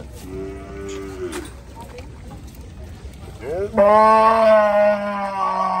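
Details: Cattle at unloading at Gabtoli cattle market, Bangladesh: a low steady moo fading out, a pause, then a louder drawn-out moo that swoops up and holds a strong harmonic tone for about two seconds.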